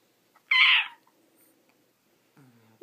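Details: Ginger, an almost 14-year-old female Pekingese indoors, 'talking' while agonizing over where to eat her treat: one short, high, strained whining yelp about half a second long, then quiet room tone and a faint human voice at the end.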